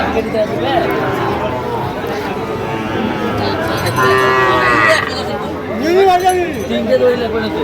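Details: Sahiwal bull calves for sale at a market, a Dhaka farmer buying, 22/9/2025. Scattered moos rise and fall, with a clearer wavering pair near the end, over people talking.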